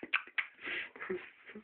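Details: Rudi, a pet ferret fighting for food indoors, gives a short run of sharp squeaky chirps and a raspy burst, with soft scuffling between the notes.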